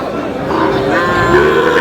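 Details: Sahiwal-mix cattle at a Meherpur cattle market in Bangladesh, a short low lowing moo rising and held, over a busy crowd of people talking and calling out prices.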